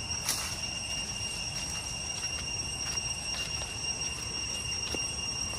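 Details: Continuous high-pitched cicada chorus on the path to Chhay Yong Waterfall, Areng, Koh Kong Province, Cambodia, a flat ringing hum held throughout, with a few crisp steps and rustles breaking in.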